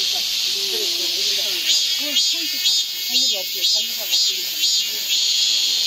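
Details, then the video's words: Midsummer cicada chorus, a harsh high buzzing wash that throbs in regular pulses about twice per second, over faint low warbling sounds. "한여름 무더위를 식히는 시원한 청량제와 같은 매미 소리"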